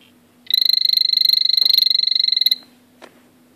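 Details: Male blue poison dart frog (azureus) calling: a rapid buzzy trill of evenly pulsed high notes, about two seconds long, with faint background hum.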